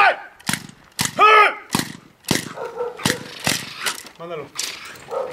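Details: Belgian Malinois named Germain des Champs, recorded 28 December 2012, barking loudly in a rapid series of sharp, broadband barks about twice a second, a few drawn out into tonal, harmonic-rich yelps.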